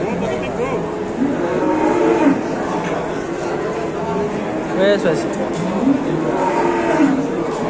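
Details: Cattle at an Indonesian livestock market give low, drawn-out moos that rise and fall in pitch. Several calls overlap across the stretch, mixed with crowd chatter and background music.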